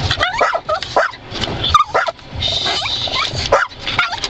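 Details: Rocky the dog snaps and barks at moving windscreen wipers; uneven high yips and brief whines scatter through the recording, mixed with a broad hissing wash and low vehicle rumble.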